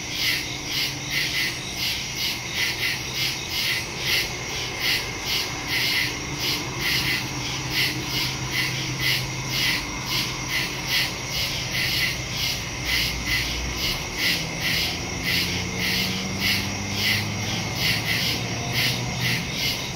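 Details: Crickets chirping in the woods after dark, recorded September 2, 2023 using a phone and stereo microphone: fast, regular high pulses layered over a steady shrill trill, with faint low droning tones drifting in the background.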